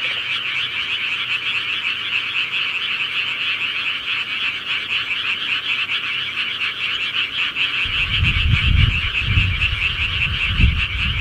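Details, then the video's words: Night-time frog chorus in the countryside, continuous fast croaking from many callers, joined near the end by low rumbling thumps. "시골개구리 소리"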